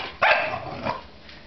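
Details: English Bulldog giving one sharp bark followed by a softer second bark about half a second later, with a quiet room background.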